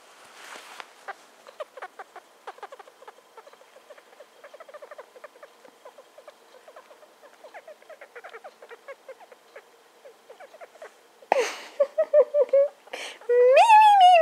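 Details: Female pet hamster named Star, just over two years old, squeaking continuously as she sniffs around; dense chatter of short squeaks for eleven seconds, then louder drawn-out rising and falling squeal-like notes near the end.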